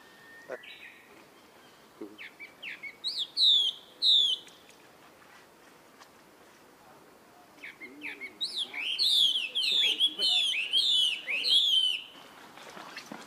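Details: A young monkey calls its older brother for help with high, arching squeals. After a quiet stretch, a run of rapid, rising-falling cries bunches together, with faint background noise.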